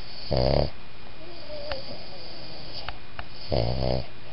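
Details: Boston Terrier-Pug mix dog sleeping indoors, giving a whisper snore: two short raspy, buzzy snore bursts about three seconds apart, with quiet room hiss between them.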